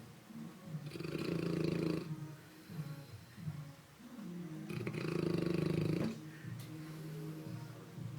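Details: A sleeping St. Bernard named Ruffus snores in two long, deep, rumbling breaths roughly three seconds apart, each a low throaty drone with softer breathing between them.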